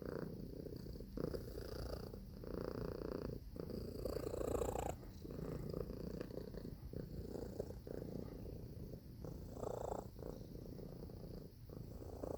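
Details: Continuous low purring from a cat, a soft grainy rumble that rises and eases with each breath over about twelve seconds.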